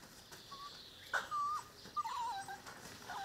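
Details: Whimpering from Dogo Canario puppies aged five weeks, litter of Bomba and Carus: thin, high, quavering squeals in short bursts, one held longer and falling in pitch, over a quiet background.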